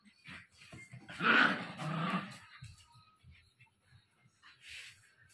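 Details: Angry 60-day-old Japanese Spitz puppy growling indoors in a small room: a loud rough snarl swelling around the first two seconds, then softer low grumbles and snuffles trailing off, with faint background hiss.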